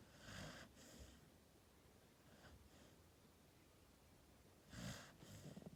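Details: Gen-chan, a sleeping dog aged one year eleven months, snoring indoors: short breathy snorts with airy hiss, one pair near the start and a louder rasping breath near the end, quiet pauses between.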